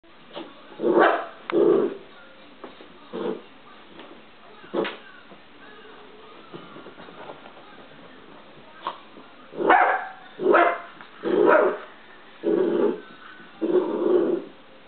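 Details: Dachshund puppy playing with a cat indoors, giving short muffled yappy barks in irregular bursts, a cluster early on, then a rapid series of five or six barks toward the end, with a quiet gap between.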